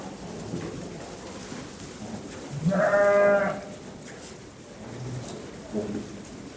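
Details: A single drawn-out, tremulous lamb bleat in the middle, with faint rustling and low background noise before and after.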